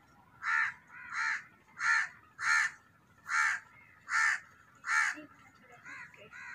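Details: Loud cat meowing in a fast, insistent series of seven strong, harmonic cries roughly every 0.7 seconds, followed by softer, quieter calls trailing off.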